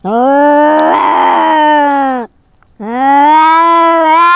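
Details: Domestic cat wearing a GoPro, fighting and asserting dominance over its territory: two long, steady, drawn-out harmonic yowls of about two seconds each, separated by a brief silence, the second rising slightly at the end.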